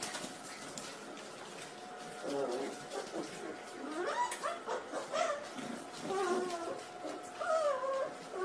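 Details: Corgi indoors in a small room, giving a run of high, wavering whines that rise and fall in pitch, some drawn out and bending, over a steady background hum with faint voices.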